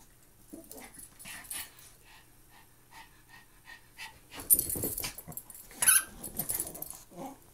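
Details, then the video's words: Two Maltese dogs at play indoors, giving short rough growling and wheezing bursts in a quick uneven series, with louder scuffling noises toward the end. "Maltese dogs playing"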